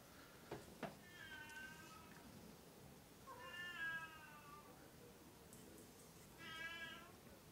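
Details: Oriental or Siamese cats indoors, three drawn-out harmonic meows spaced about three seconds apart, each rising then falling, with a couple of soft clicks early on.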